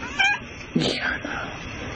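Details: Orange cat calling to wake its owner, staring at them to get them out of bed; a short high harmonic meow, then a rougher, breathier cry a moment later, over faint indoor hiss.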